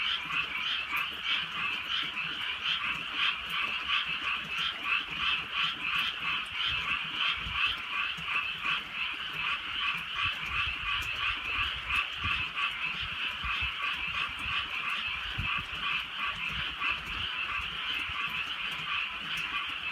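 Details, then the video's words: On a rainy rural night, a massed frog chorus keeps up continuous, overlapping croaks. The throbbing chorus rises and falls slightly in loudness over the whole stretch, with faint rainfall ticking in the background. "개구리 소리"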